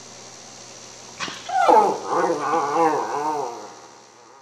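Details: Cairn Terrier, a pet dog, 'talking' at mealtime while lamb chops wait to go in the broiler; wavering, moaning whine-like vocalisation rising and falling in several connected syllables over about two seconds, after a sharp click, with a quiet background hum.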